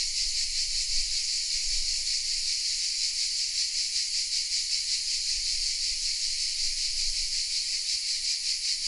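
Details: Cicadas singing in the trees of Vézénobres, a small village in the south of France: a dense, continuous buzzing drone, high and steady, with a faint regular pulsing of a little over two beats per second.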